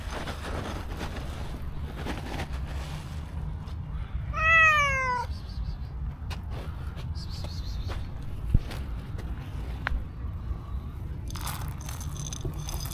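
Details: Stray black-and-white cow cat walking up to a person and giving a sweet meow: one clear, falling, drawn-out meow about a second long, amid steady low rumbling background noise and brief rustles.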